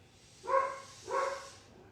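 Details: Female pet dog barking indoors in the morning at a neighbour's German Shepherd walking past: two short harmonic barks about 0.7 seconds apart, with a quiet room background.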